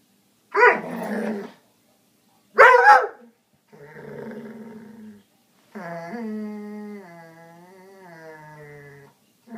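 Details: A foxhound cross springer spaniel barks twice, loud and abrupt, at a couch for no apparent reason, then a grumbling growl follows and drawn-out tonal growling that wavers in pitch over the last few seconds.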